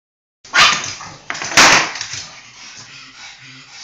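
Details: A pug gives two loud, harsh, noisy bursts about a second apart, the second longer, followed by soft snuffling breath noise.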